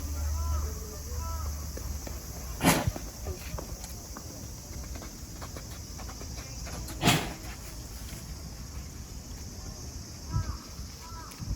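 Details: At Kyoto City Zoo on 9 August 2022, a mother giraffe sneezes while watching her baby run. Two sharp, explosive bursts about four seconds apart stand out over a low background hum, with faint human voices nearby.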